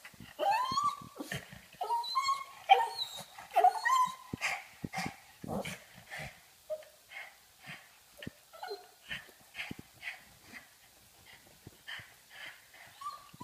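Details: A female pug making funny noises because she wants to play: a run of high, whiny whimpers and yips with rising-falling tones, loud at first and then softer, repeated roughly once a second.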